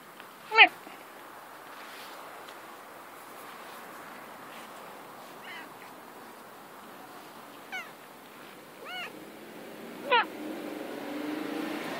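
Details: Female domestic cat playing outdoors in the grass, making cute meows: one loud, sharp meow at the start, then a few softer, shorter mews spaced through the middle, and a stronger final meow, over a quiet background with faint rustling.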